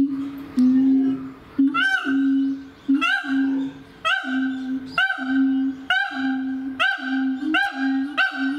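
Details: A mated pair of siamangs at a zoo in Japan scream loudly as if ringing through a jungle, claiming territory in December 2018; steady low hoots are broken by sharp rising barks roughly every second.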